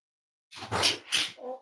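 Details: Cavalier King Charles Spaniel puppies, raised at home as emotional support animals, snuggling indoors on a warm Friday morning; two quick breathy snorts burst out, then a short tonal whine trails off.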